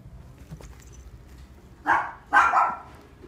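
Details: A blue-coated female Munchkin cat born June 2017 gives two short meows, the second longer and more tonal, in a quiet room.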